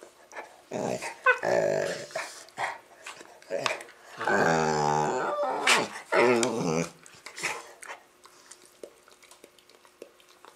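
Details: Labrador making funny noises while playing with a Rottweiler puppy: choppy growling bursts, then a long wavering groan-growl of about two seconds, followed by several shorter grumbles before things go quiet.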